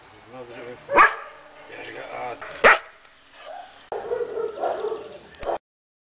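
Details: A 5-month-old German Shepherd gives two sharp, loud barks over a background of people talking.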